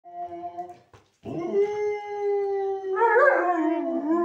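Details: Pet dog howling in response to other dogs: a faint short howl, a brief pause, then a long steady mid-pitched howl held for about three seconds that turns wavering and rougher near the end.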